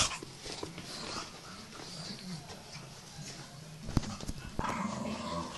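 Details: Staffordshire Bull Terriers, two adults and two tiny puppies, playing rough indoors; low rumbling growls and soft whimpers run under scuffling, with sharp knocks and thumps near the end.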